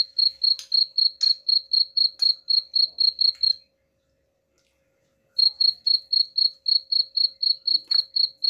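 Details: Cricket chirping, used to drive away rats: bright, even pulses about four per second, a silent gap of nearly two seconds midway, then the same steady chirps again over a faint constant hum.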